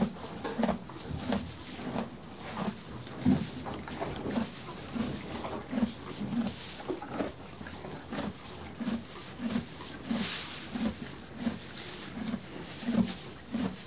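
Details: Stabled horse enjoying hay, its jaw working in an even, low crunching rhythm near ninety chews a minute, accompanied by light straw rustles and occasional bright clicks.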